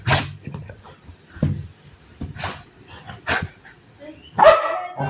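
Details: Golden retriever playing with its mom, letting out four sharp, abrupt barks spaced about a second apart, ending in a louder, higher yelp, with low household rumble and faint voices behind.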